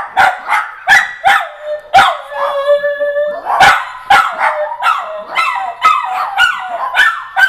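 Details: Dachshunds at home reacting to phone app sounds with sharp, repeated barks mixed with drawn-out tonal whining and howl-like notes, barks coming close together throughout.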